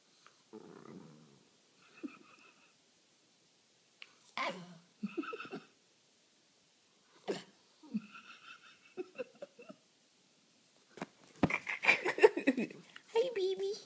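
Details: Panda, a female pet schnauzer, making soft grunts, snuffles and little whining noises to get attention. The sounds come in short irregular bursts, with a louder, breathier flurry near the end in a quiet room.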